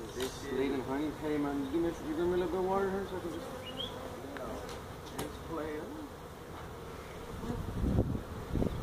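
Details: Honey bees from a feral hive inside a tractor tire at a citrus orchard in Mission, Texas, being removed; continuous low buzzing drone, voices early on, bursts of louder buzzing near the end.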